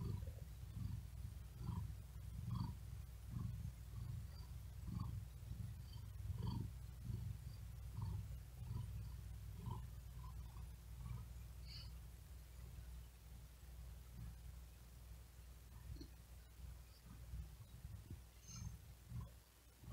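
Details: Cat lying on a wooden desk in the heat, too hot to sleep, giving a continuous low purr that pulses with each quick, laboured breath, about seventy-five cycles a minute, fading slightly toward the end.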